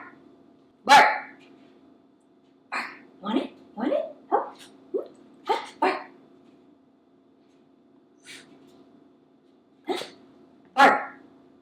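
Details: Cavalier King Charles Spaniel being trained to bark on command with a clicker and treats, a trick learned the night before; short sharp barks come singly and in quick pairs, with a woman's speech and long quiet gaps between.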